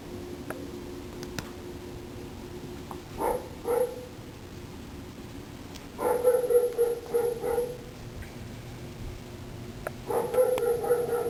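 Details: Dog called Domino gives short, rapid bursts of shrill yapping barks, several per second, separated by quiet stretches, with a person calling its name.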